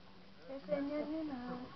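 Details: St. Bernard puppies, three weeks old, a litter including Berkenye, Beethoven, Hektor and Kázmérka, recorded 7 March 2012; a drawn-out tonal whine wavers upward then slides down over about a second, with faint room noise behind.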